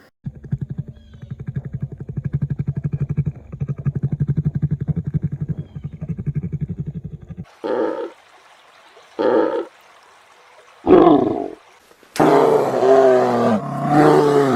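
A brown bear gives a long, low rattling growl, then several short hoarse bellows and a drawn-out roar.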